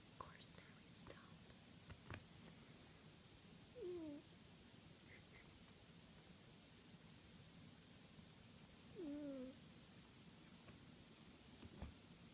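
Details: Max, a pet cat who snores regularly, sleeps indoors and lets out two thin, whistling, falling squeaks about five seconds apart over a quiet hiss of room noise.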